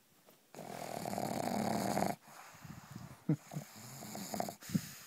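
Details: Gracie the pug snoring in her sleep: one long, rough, buzzy snore followed by softer irregular snorts and breaths, indoors.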